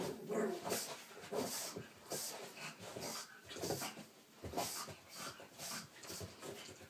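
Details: Frightened pug named Frank, indoors near a small cat toy, lets out short whining whimpers and breathy huffs, with a brief low voiced sound at the start and bursts of rustling.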